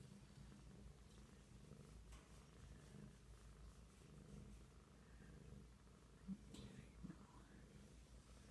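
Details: Big kitten named Rockford purring, a low steady rumble running through the whole stretch, with a faint murmur of voices in the background.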